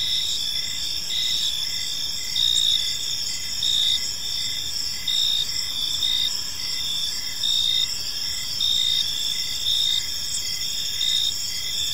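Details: Gentle cricket chirping in a serene park at evening: overlapping high, even trills with regular pulsed chirps recurring about every second, volume swelling slightly now and then, faint low hum underneath.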